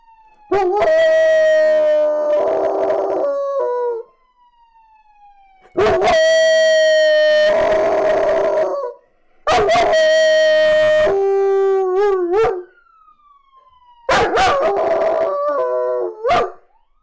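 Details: German Shepherd puppy howling in response to a police car siren: four long sustained howls of a few seconds each, steady then wavering and breaking at the ends, separated by quiet gaps with a faint falling siren tone.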